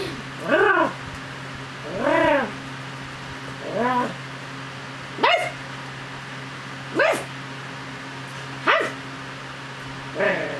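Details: Angel Cake, a pet Chug, play-fights its owner's hand, acting like a dog: seven short, arched, yipping barks, one every one and a half to two seconds, each rising then falling, over a steady low electrical hum.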